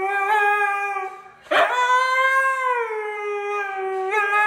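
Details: A Siberian husky howls along to rap music, supposedly tone deaf, in long, steady tones, then rises and sags in pitch after a brief break.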